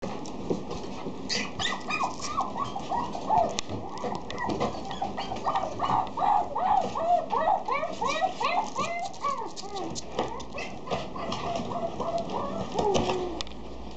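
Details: Female Pomeranian giving rapid, high, arching whines and yelps, many overlapping in quick succession, some faint rustling behind.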